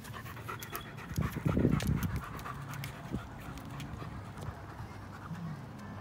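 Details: German Shepherd, male, two and a half years old, over 90 pounds, panting steadily while enjoying a walk outdoors; soft rapid breaths, with a louder burst near the start, footsteps and a man's voice calling nearby.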